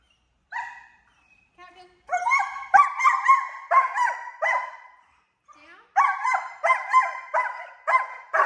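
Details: A young German Shepherd, ten months old and in off-leash obedience training in Georgia, lets out quick strings of bright, yappy barks in two clusters, separated by a short pause and a few softer whines.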